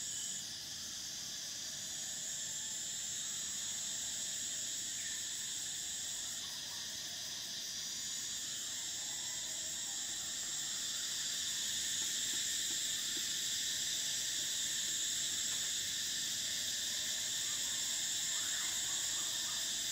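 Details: Summer in Thailand, cicadas singing: a long steady shrill buzz that swells slightly louder in the second half, its highest band shifting partway, with faint scattered chirps beneath.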